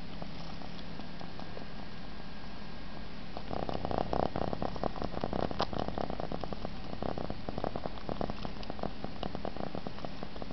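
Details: An Egyptian Mau cat enjoying itself and purring as it sucks its paw, giving an even low drone, with wet sucking clicks growing busier midway.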